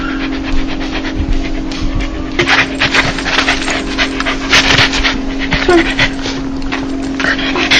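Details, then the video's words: Dog 'laugh' made when happy or joyful: breathy, rapid panting bursts in uneven rhythm, with a steady low hum running underneath throughout. "강아지웃음소리 강아지 행복할때나오는소리(the sound of a dog)"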